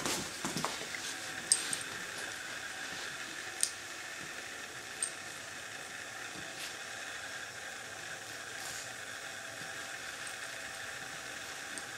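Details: Quiet indoor hum with a few soft clicks and rustles near the start, and no animal voice.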